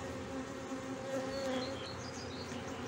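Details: Inside a beehive in Brno, 2022, bees that destroyed an inserted queen cell after their own queen emerged; an even, buzzy hum with a slight swell in the middle and faint high squeaks.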